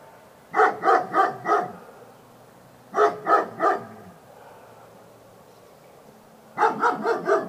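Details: Barking Labrador Retriever: three bursts of short, sharp barks (about four, then three, then five), each run quick and evenly paced, separated by quiet gaps of over a second.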